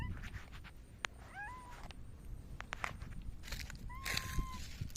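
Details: On 29 August 2024 a silver tabby cat rubs up against someone and meows twice: a short upward-bending chirp, then a longer, level, drawn-out meow, with scattered clicks and rustling.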